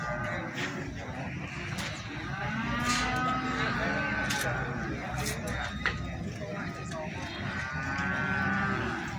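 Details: Lowing from feeder cattle sold at Plaosan cattle market in Magetan, with short, flat moos near the start and end and busy human talk throughout.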